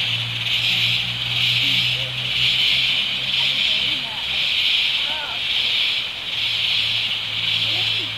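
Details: A dense, shrill insect chorus swells and fades roughly once a second in the rainforest of Tamborine National Park, Australia.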